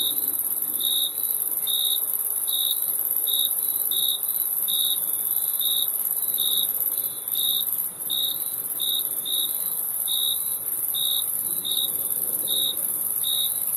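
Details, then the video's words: Crickets chirping in a steady series of short, high, bright pulses, roughly one every 0.8 seconds, over a continuous shrill hiss of more insects in the background. "Crickets Chirping Sound"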